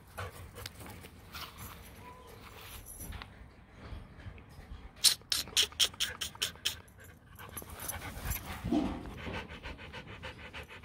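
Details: A 15-month-old Rottweiler breathes in rapid, regular breathy pants. They come in two bursts split by a quieter stretch, with a person speaking nearby.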